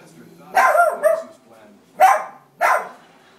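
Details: Indoor dog going wild at a TV programme, giving a quick double bark followed by two more sharp, harsh barks within about three seconds.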